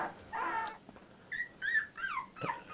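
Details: Fourteen-day-old Labrador Retriever puppy of Litter J whimpering: a drawn-out whine, a pause, then four short squeaky yelps with bent, falling pitch.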